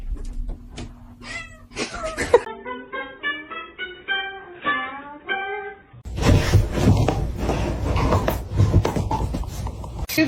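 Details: Kitten giving a quick string of short, even meows, each clipped and slightly falling, after a few scattered louder cries, followed by loud rustling noise and background music.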